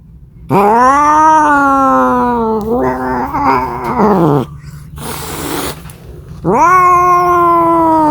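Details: A cat yowling to find a mate: a long even wail that wavers and breaks into a throaty, growling descent, then a hiss-like noise burst, and a fresh rising yowl at the end.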